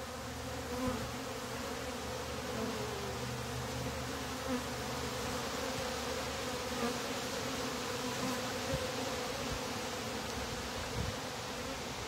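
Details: Many honey bees at a top-bar hive, as its bottom board is being closed, make a continuous, even, low droning hum thickened by a hiss of wingbeats, with a faint tonal drone and only small swells in loudness.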